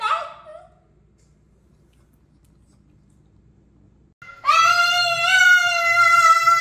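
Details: Exceptionally vocal Boston terrier singing: a brief yelp at the start, a long pause, then a sustained, steady, tonal howl that rises and holds at a level pitch until the end.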